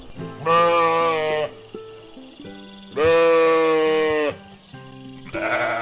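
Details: Sheep, a docile animal giving wool, milk and meat, giving two drawn-out, quavering bleats about two seconds apart over steady background music.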